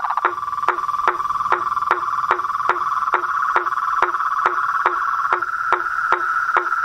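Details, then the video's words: Frogs and tree frogs calling outdoors: a continuous buzzing trill runs beneath regular percussive clicks about every 0.4 seconds, the whole chorus dense and steady. "Os sons dos sapos , rãs e perereca na Natureza"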